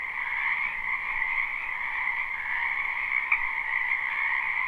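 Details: Springtime wetland frogs croaking together behind a home, recorded live without looping; unbroken layered chorus holding steady mid and high pitches, one brief louder note near the end, nothing else audible.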